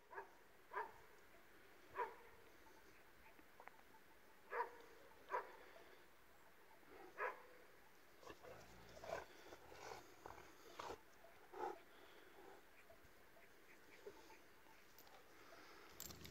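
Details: Dogs identified as an Illyrian Shepherd and a Presa Canario mix bark repeatedly outdoors, sharp single barks every one to two seconds, sometimes in quick pairs, over a steady low rumble of background noise.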